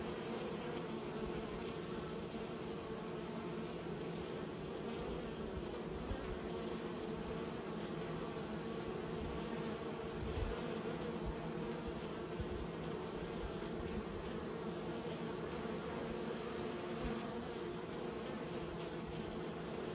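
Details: Honey bees being raised produce an unbroken, humming drone with a low steady pitch, dense and uniform, with a faint brief thump near the middle.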